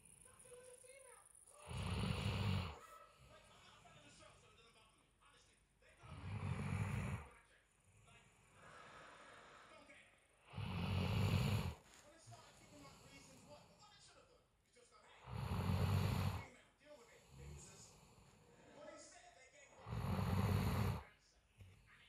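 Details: A female Weimaraner snores in deep, rasping bursts about every four to five seconds, recorded on 5 March 2021.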